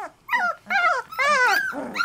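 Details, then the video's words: Three-week-old Labrador Retriever puppies whining indoors: four drawn-out, harmonic cries that rise then slide down, each about a quarter to half second long, separated by short pauses, with soft lower grumbling beneath. "Puppy Cacophony"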